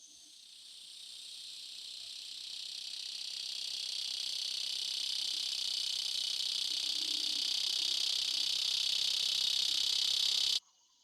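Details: Dog-day cicada, a loud summer insect heard in the warmest parts of summer and likened to a buzz saw: one continuous high, hissing buzz that swells steadily for about ten seconds, then cuts off abruptly.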